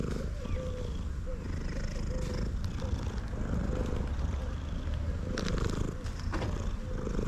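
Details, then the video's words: A male house cat keeps up a loud, low, continuous purr even as it eats, the rumble steady under faint twittering calls and occasional clicks. "Male cat that purrs loudly even while eating"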